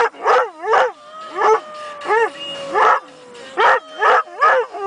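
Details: A male Airedale Terrier 'sings' along to a song on the radio from a car's back seat, in short arched howls that rise then fall, repeated more than once a second.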